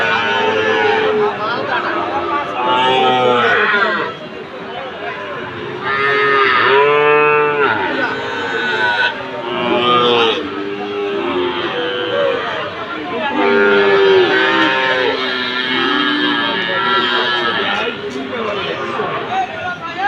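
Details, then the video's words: Bull calves of Friesian and Sahiwal breeds at Ambari cattle market, Dinajpur, Bangladesh, 27 September 2024, giving long loud bellowing moos, several separate calls across the stretch, with market chatter, a man talking and background music. "ফ্রিজিয়ান ও শাহীওয়াল ষাড় বাছুর গরুর দাম।। আমবাড়ী হাট ,দিনাজপুর"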